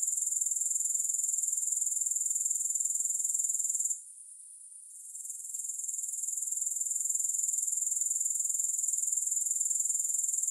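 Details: Continuous grasshopper chirring, thin and very high-pitched, pulsing rapidly and evenly. A short gap near four seconds interrupts it before the trill gradually rebuilds and carries on unchanged. Nothing else is audible.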